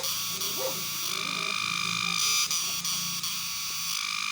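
A cicada's steady, high, shrill buzz runs without a break.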